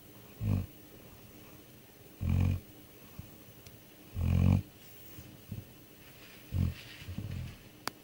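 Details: Deeply asleep, a dog snores with short, low, throaty rumbles that come roughly every two seconds, five in all, some louder than others, with near silence in between.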